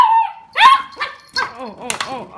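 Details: Beagle playing with a recycled Coke bottle gives a long whine that breaks into a sharp bark, followed by a few shorter yelping barks with bending, arched tones.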